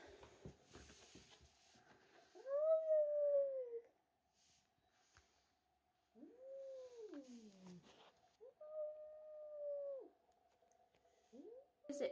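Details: Angry domestic cat, unhappy at a young kitten newly arrived in the house that stole his tuna, gives long drawn-out yowls, each a few seconds, rising then falling, separated by short pauses, with a faint steady hum underneath.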